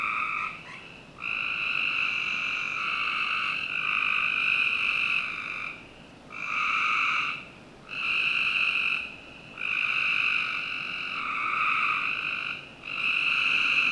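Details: Frogs trilling through a summer night behind a Northern Virginia home, with a run of long, grating trills followed by shorter bursts about a second long at regular intervals, and a few clicks at the start.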